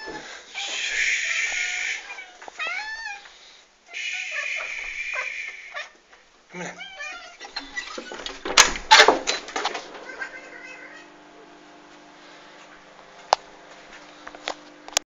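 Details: Several pet cats calling while waiting for breakfast, their cries likened to a cockerel: a run of rising and falling wavering meows over the first seven seconds, then clattering and rustling noises and a faint steady hum.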